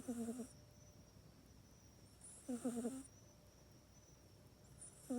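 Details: Domestic cat asleep in its cat bed at night, recorded indoors on an iPhone 8, snoring: three short, wheezy, voiced snores roughly every two and a half seconds, each with a soft hiss of breath, quiet room between.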